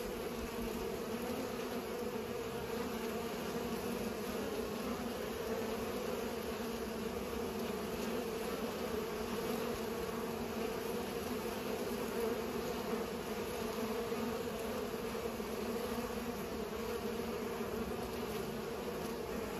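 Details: Bees working flowers as they pollinate fill the air with a dense, steady buzzing hum, unchanging and even from start to finish, under a light hiss.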